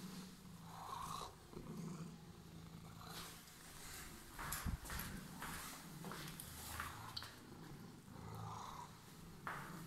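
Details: Domestic cat with emerald eyes purring indoors while waiting; a low steady rumble in breathing cycles, interrupted by a brief thump and bursts of rustling and handling noise.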